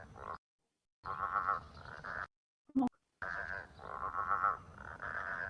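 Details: Growling grass frogs calling loudly in a chorus on a stinking hot, windless January day; long pulsed, growling croaks in bursts of one to two seconds, broken by two silent gaps and a brief click near the middle.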